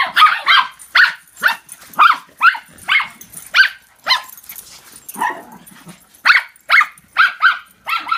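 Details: Three dogs chasing each other in follow the leader let out sharp, high barks about twice a second, unevenly spaced, with a short lull and a lower whine midway before the barking resumes.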